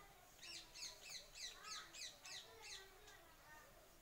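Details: Monkeys entering a home garden to take food, a mother monkey among them; a fast series of about eight sharp, high chattering calls in quick succession over two and a half seconds, then fainter calls, with faint speech.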